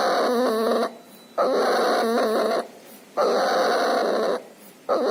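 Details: Puppy sick with pneumonia and distemper, with nasal discharge, breathing loudly indoors: harsh, noisy breaths about every second and a half, each carrying wavering wheezy whistles, separated by short quiet pauses.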